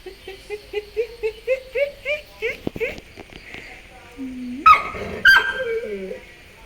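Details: Labrador Retriever puppy at home: a quick run of about a dozen short, rising whines or yelps over two and a half seconds, then a woman speaking Malayalam and a few scattered sharper sounds.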